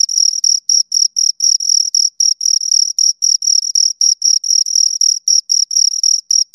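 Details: Two crickets stridulating: a dense, high, ringing chirp train of quick pulses, some doubled or fused into longer bursts, continuing without pause over several seconds; nothing else audible.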